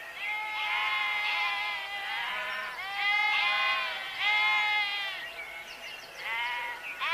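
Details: Sheep bleating in overlapping, wavering, nasal calls, several voices answering one another in steady succession over seven seconds, with a faint background hiss.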